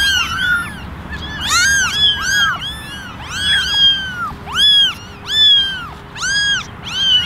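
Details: Eleven kittens, ten ginger and one white, meowing for attention in a basket; many high arched meows overlap, several voices calling in quick irregular succession with a faint low hum beneath.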